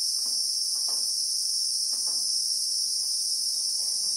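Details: Christmas beetle in South African bushveld among acacia trees, recorded in real time: an unbroken, shrill, high-pitched droning buzz with two steady bands, over scattered soft low taps.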